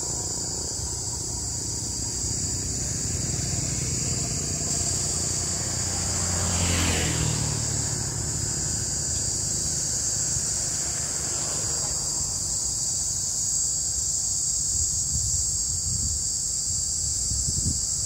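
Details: Cicada singing in summer at 14:45 on 14 May 2024 in Đông Hòa ward, Dĩ An city, Bình Dương province, likened to a green cicada: a steady, unbroken high-pitched shrill buzz throughout, with low traffic rumble and a passing vehicle midway.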